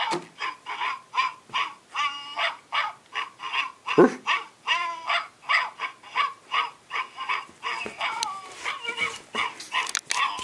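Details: Australian Shepherd puppies giving a steady run of high, whiny yelps and whimpers, about two or three a second, some rising and wavering, with brief rustling near the end.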